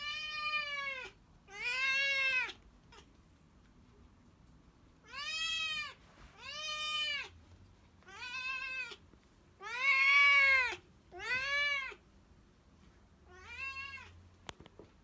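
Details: Hungry tabby-and-white kitten calling loudly for a meal, giving about eight strong, arched meows roughly every one and a half seconds, some stretched and louder, in a quiet room.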